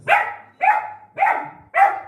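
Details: Indoor pet puppy in Guntakal barking angrily at other dogs outside, eager for the gate to be opened; four loud, even barks about half a second apart, each with a short fading tail, no other sounds.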